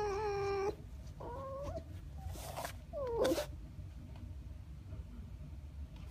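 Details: A pouting red fox, called a brat, whines indoors. A steady drawn-out whine comes first, then a shorter wavering one, then a brief falling squeal, over low room hum.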